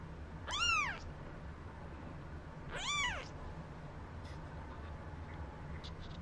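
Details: One-week-old Maine Coon kitten, eyes just opened, bred in Tokyo, Japan: two short, thin, high meows that arch up and fall, about two seconds apart, over a steady low hum.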